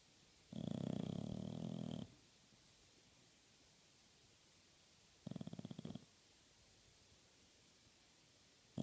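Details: Bulldog sleeping on a couch indoors, snoring: a long rasping low snore of about a second and a half, a quiet pause, then a shorter rattling snore, with another starting at the end.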